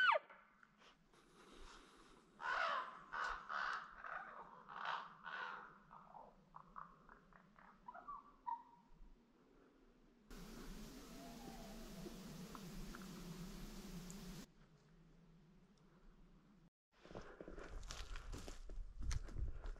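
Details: Wild elk during a September rut hunt in heavily forested mountainside brush in Washington, recorded at times 40 to 60 yards away; a run of harsh, pulsed calls repeats about twice per second, then fades, followed by rustling noise.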